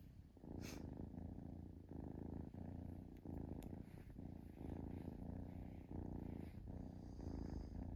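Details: Kitten purring contentedly while relaxing, a low vibrating rumble in regular breath-length pulses, with a couple of faint clicks and soft rustles.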